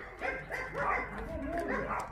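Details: Abandoned dogs at Mindeulle Shelter, a rescue shelter in Yangsan, South Korea, bark together in an overlapping chorus of short yelping barks, with people talking in the background.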